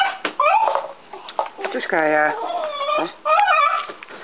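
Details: Deaf dog crying while biting and chewing on a stick indoors: wavering, whiny harmonic cries that rise and fall in short bursts, with a steadier, lower drawn-out moan near the middle.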